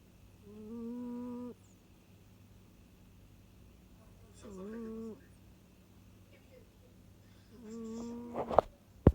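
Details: A pet cat snores contentedly in a cosy state. Three drawn-out, nasal, humming snores come about every three and a half seconds, followed by a sharp click and a brief rustle at the end.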